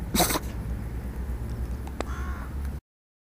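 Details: Hilda, a Dachshund, gives a single sharp, explosive sneeze right at the start, a brief broadband burst, followed by a low steady background hum and a faint click about two seconds later.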